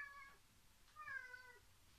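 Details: Two pet cats indoors, one having forced open a heavy door and romping about, the other hiding and lying in wait; two short, quiet meows, the second slightly longer and falling in pitch.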